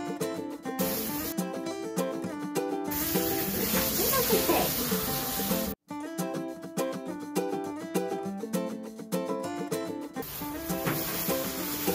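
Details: Bright ukulele music plays with brief speech and the hiss of a water spray, broken by a short silent gap midway.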